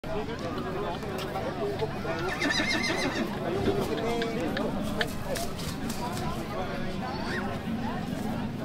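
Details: Belgian draught horse at a VOT foal show in Moerzeke, Belgium: a brief harmonic whinny near the middle, rising then falling, heard over steady crowd chatter, voices and outdoor background noise.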